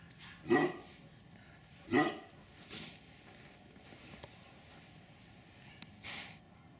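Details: Tibetan Mastiffs at the RKF-registered kennel "S Volchyey Zemli" in winter 2019: four deep, separate barks spaced irregularly over several seconds, the first two loudest, with a quiet background between them.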